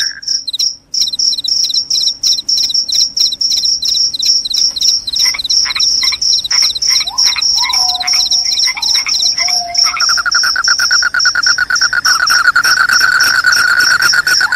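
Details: Cricket said to repel rats and make people sleepy, chirping rapidly in high bursts over a crowded chorus. Clicking strokes and falling tones sound in the middle, then a continuous lower buzzing trill.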